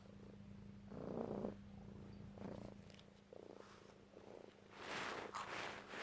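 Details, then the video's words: Pet cat Bonie, who loves being brushed, sneezes while being groomed indoors: steady low purring and brushing rustle, a short spoken word, then one sudden sharp burst of sneeze near the end. "Katze Bonie Liebt Bürsten Niest Lustig Cat sneeze"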